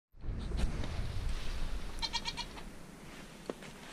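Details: Dairy goat in March snow: one short, nasal, harmonic bleat about two seconds in, over steady low rumbling noise and faint scattered knocks.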